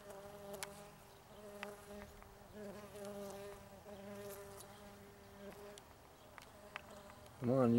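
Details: Green sweat bee hunting on flowers in Tonopah, Arizona, in March or April 2015, taken with a Sony HandyCam: a steady, low, droning wing buzz that wavers slightly in pitch, ending in a sudden louder rustling burst.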